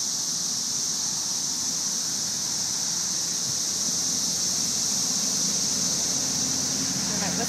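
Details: May 2011 cicada invasion with thousands of insects in the trees: a continuous high-pitched sizzle fills the air while a dog named Angel plays with a cicada; a few low voice-like sounds and background rumble.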